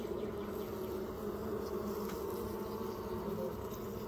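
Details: Continuous dense buzzing of Western honey bees clustered at a hive on a trailer that was about to be torn down, a steady rich hum with layered harmonic bands and no pauses.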